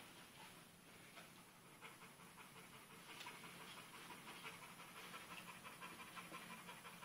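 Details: Rhythmic breathy panting of a pit bull puppy named Dixie busy with a sock, two adult pit bulls in the same recording; fast regular huffs, close to three each second, growing slightly stronger in the second half.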